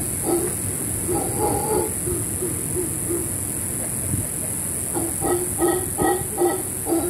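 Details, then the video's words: Howler monkeys calling over a cabana in rainforest on the Caribbean coast of Panama, Camaroncito EcoResort: low harmonic barking bursts at the start, a quieter stretch, then a rapid series of rough grunting pulses near the end, with steady hiss. "Howler monkeys over our cabana."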